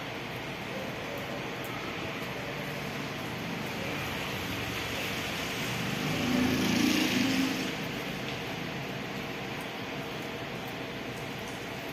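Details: Steady roadside traffic rumble and hiss fill the scene, with a passing vehicle swelling louder around the middle.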